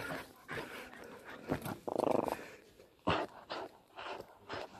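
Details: Spikey, a Fell Patterdale terrier pup aged 10.5 months, plays tug with old jeans. One short, rough growl lasts about a second, with panting, a sharp snap and German and English praise nearby.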